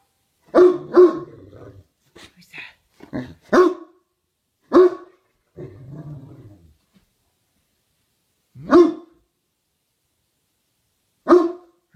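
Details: A dog's twilight bark, a few hours too early: loud barks in pairs and singles separated by pauses, mixed with softer grumbling sounds and some faint voice-like noises in between.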